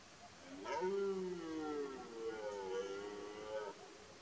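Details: Red deer stag, a twelve-pointer, roaring during the 2023 rut in Poland: one long harmonic bellow of about three seconds, rising then holding level with a slight wavering, over faint background hiss.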